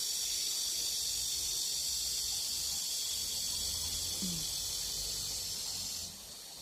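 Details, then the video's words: Steady high-pitched shrill drone of an evening cicada at a rural country house in Geumnam-ri, Bukhangang-ro, singing ahead of the other cicadas; the unbroken hiss runs six seconds before softening, with faint low rumble beneath. "벌써 한여름인가 매미보다 먼저 우는"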